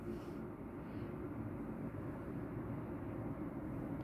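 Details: Steady low engine-like rumble, as of an aircraft or vehicle, fills the whole stretch.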